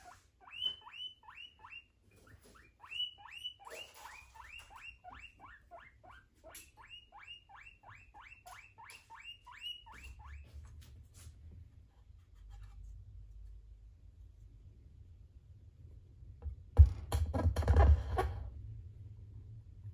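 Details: Two pet guinea pigs during a sniffing brunch: a run of sharp, rising squeaks repeated about three times a second for ten seconds, then quieter rustling and low rumbling, with a loud burst of handling noise near the end.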